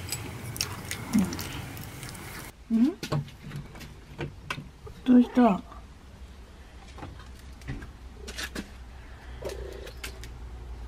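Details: Feral mother cat living at a house with her kittens, calling for the woman when she wants something; several short meows with rustling and handling noises between them.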